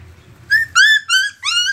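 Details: Chippiparai puppies, a native Indian dog breed, from Thanjavur, Tamil Nadu, give a series of high, thin whines, each note brief and slightly rising.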